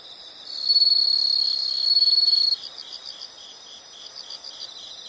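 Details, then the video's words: A loud high insect trill starts just after half a second and cuts off near two and a half seconds, leaving softer pulsed chirping from other insects in a calm nature recording. "the sound of insects"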